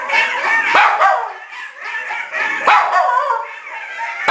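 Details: A three-month-old Australian Cattle Dog (Blue Heeler) puppy, prompted by coyotes howling, howls in high, wavering, drawn-out notes broken by short yips.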